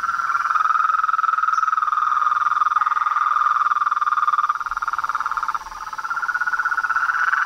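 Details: Chorus of frogs and toads, a continuous fast-pulsing trill holding one pitch, with a brief dip in loudness near the end before the massed calling swells again.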